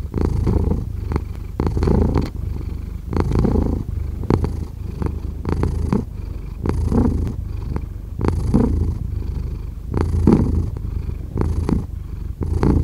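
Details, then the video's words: Cat purr, a low vibrating rumble that surges and fades rhythmically with inhaling and exhaling, steady throughout with occasional soft ticking sounds. "5 Hours of Cat Purring"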